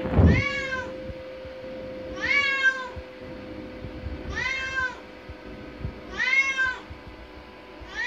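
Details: Adopted indoor cat, five years and eight months old, exploring a bathroom beside the bathtub, meows repeatedly: rising-then-falling harmonic meows roughly every two seconds, five in all, with a low steady hum underneath.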